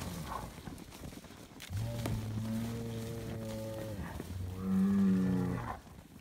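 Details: Scottish Highland cattle bull on a farm in Finland, being given bread, gives two long low moos, steady droning tones of about two seconds each with a short gap between, plus faint background rustling.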